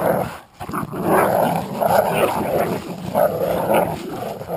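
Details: Playful tug-of-war between a Jack Russell Terrier and an American Staffordshire pit bull; a brief gap, then continuous harsh growling with a few stronger throbbing peaks.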